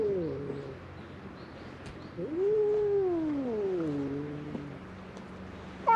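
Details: Stray cats fighting on a cat island in Japan, recorded on a GoPro: a long low moaning yowl that swells and slowly falls in pitch, with background hiss and a sudden sharp cry at the end.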